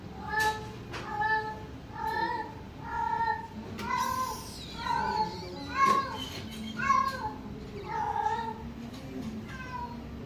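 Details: Blue-and-white bicolour British Shorthair cats meow repeatedly, with short harmonic calls coming about once a second.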